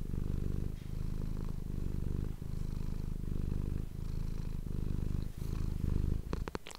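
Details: Pet cat purring up close for an ASMR recording; deep, continuous rumbling purr rising and falling with each breath, a few soft clicks near the end.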